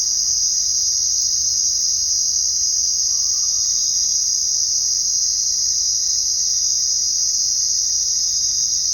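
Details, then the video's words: At night, a steady high-pitched cricket chorus rings on without gaps, many insects blending into one even buzzing trill with a faint soft tone briefly audible midway. "Crickets Sound at Night | Crickets Chirping at Night"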